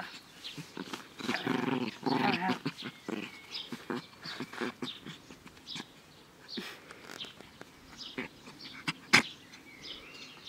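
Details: Naja the dog playing happily in a garden on a fine day, 17 May 2014, gives short rough growly bursts mixed with whiny tones, strongest early on, between scattered clicks and handling knocks.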